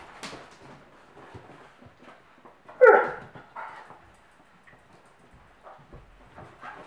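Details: German Pinschers at play indoors, mother Luna with three puppies of litter T and the Doberman Lemon: one sharp, loud bark midway, with soft yips, scuffling paws and quiet rustling before and after.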